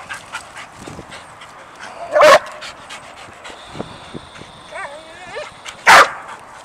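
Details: Dog worked up and jumping over a squirrel it cannot see gives two loud, abrupt barks roughly three and a half seconds apart, with faint rising whines and small yips in between.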